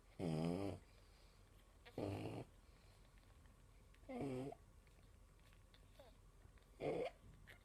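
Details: Sleeping pug mother snoring as she feeds her six four-day-old puppies. Four rough, rattling snores, each about half a second long, come steadily about every two to two and a half seconds. Quiet room between breaths.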